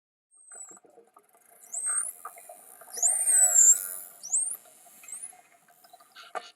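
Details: Wild dolphins met on swims off Mikurajima, Japan, or the Bahamas, giving several clear rising whistles that sweep upward, one longer looping whistle near the middle, with faint clicks and pulsed sounds beneath and underwater bubbling.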